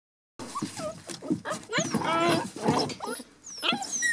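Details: Border Collie puppies, 7½ weeks old, from a litter raised at home: thin high whistled squeaks and rising whines over low grunting and scuffling, several overlapping pups.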